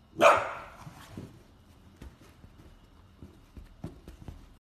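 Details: Dachshund, a mini sausage dog, gives one loud, sharp bark right at the start, then falls quiet while soft knocks and rustling follow in a hushed indoor setting.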